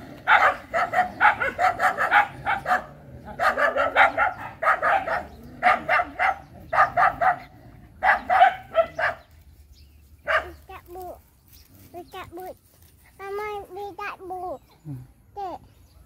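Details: Dogs barking in tight, repeated bursts for the first half, then quieter; later come thin, high whining or squealing calls, possibly a dog whimpering, against low background rumble.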